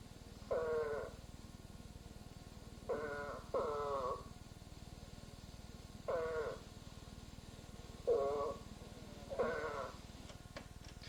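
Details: An Eastern spadefoot (Scaphiopus holbrookii) gives short, nasal, groaning calls like a bleat, repeated every one to two seconds, heard in an Ohio frog and toad survey guide.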